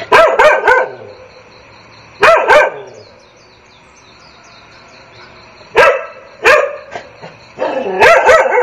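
Dog barking in sharp bursts of three or so quick barks, with pauses between; faint high bird chirps run underneath.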